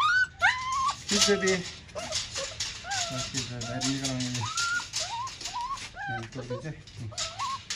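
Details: Whining Siberian Husky in Nepal: a long run of thin, wavering, high whines, some rising and some falling, repeated with little pause, mixed with human voices and background music.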